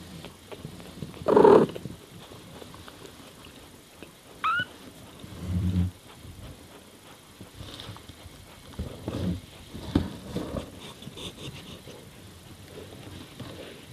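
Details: Mama cat Miyu calls to her young kittens as she tends them. One clear mid-pitched meow opens, followed by a brief rising chirp, then a low murmur and scattered soft, fainter sounds of movement.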